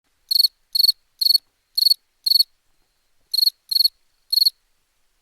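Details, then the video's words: Cricket song recorded for a sound pack: short bright chirps of three to four rapid pulses each, spaced unevenly with a pause of about a second midway, against a silent background. "Cricket Sounds"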